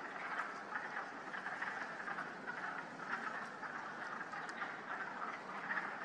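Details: Wood frogs at a woodland vernal pool near Goat Hill, Northbridge/Uxbridge, Massachusetts, on 30 March 2019, the first heard that year and only a few present, give steady low, duck-like clucking croaks.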